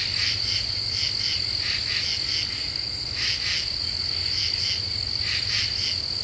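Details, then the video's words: Night chorus of common true katydids in Ozark deciduous woods, harsh rasping pulses grouped in twos and threes repeating irregularly, backed by a continuous high-pitched insect whine. "Half Moon and Common True Katydids"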